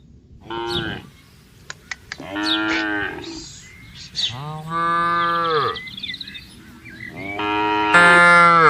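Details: Cattle being herded across green pasture: a series of four moos, some short and falling, one long steady low call, the last loud and sustained, with a few sharp clicks and bird twitters between them.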